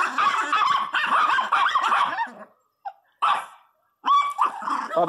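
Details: Pet Miniature Pinscher called Teco, showing off its fierceness indoors, lets out rapid clustered yaps and whiny barks, pauses briefly, then resumes with a high yelp, with a woman's voice speaking alongside.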